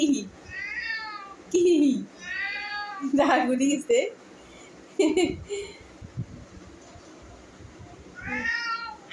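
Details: A cat gives long, whining meows indoors, some wavering and strained, at irregular gaps. Lower, short cries and a person speaking Bengali come in between.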